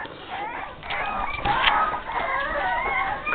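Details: Young Boston Terrier puppies, five and a half weeks old, wanting out of their enclosure; continuous shrill, bending squeals from more than one pup, layered with human chatter.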